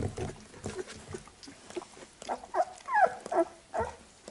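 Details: Labrador Retriever puppies give short, high, squeaky whimpers among soft snuffling and grunting as their mother cleans them after nursing.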